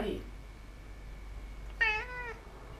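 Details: A pet cat inside a home gives one clear half-second meow, rich in harmonics and gently falling, after a brief bit of human speech at the start, with faint room hum.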